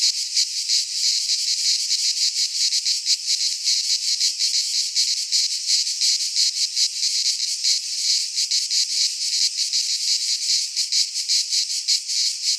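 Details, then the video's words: Shrill cicada chorus from a Greek pine forest at midsummer: constant metallic buzzing with fast rhythmic pulses, sustained and intense, no other creatures or noise heard. "Cicadas singing in midsummer"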